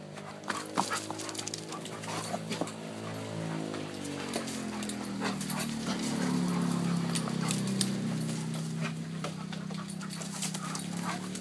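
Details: An Alaskan Malamute gives drawn-out, tonal woo-woo howls that slide up and down in pitch.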